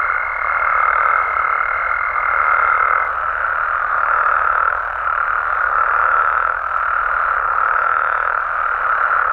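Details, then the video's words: Mexican frog and toad chorus at night, overlapping croaks blending into a steady drone with faint pulses roughly every two seconds; a high thin tone fades out after three seconds. "Mexican Frogs & Toads Sounds"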